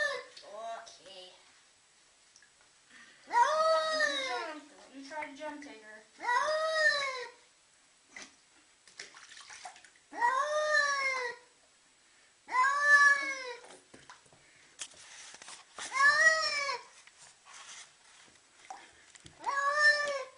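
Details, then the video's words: Domestic cat objecting to a bath, loud harmonic yowls about a second long, each rising then falling, repeated roughly every three seconds, with splashing water and occasional human voices in a small indoor room. "CAT SAY NO WHEN GETTING A BATH!"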